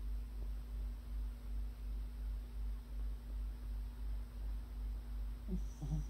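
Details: Sleeping puppy snoring indoors: soft, low rumbling breaths pulse steadily at about two per second under a constant room hum, with a faint rustle near the end.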